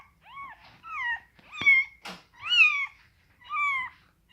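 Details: Scottish Fold kittens of rare coat colours, fold-eared and straight-eared, indoors; five clear, high, arched meows, some rising then falling, spaced about a second apart in a quiet room.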